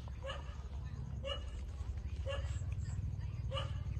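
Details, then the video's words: Newborn street puppies, 27 days old, suckling from their mother; brief high yelps repeated roughly once a second, four in four seconds, with a steady low rumble underneath. "Cute puppy 27-days-old sucking mother for milks"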